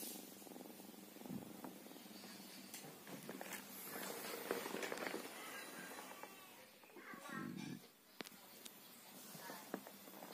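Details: Cilo, a female mixed-breed village cat and mother of three, purring while asleep: a low, rough rumble with a breathy texture that swells in two louder bursts, with faint background voices.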